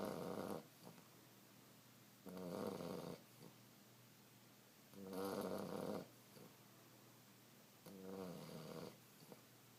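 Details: Australian Shepherd puppy fast asleep, snoring in four rough, rattling breaths about every two to three seconds, each lasting under a second, with near silence between them in a quiet room.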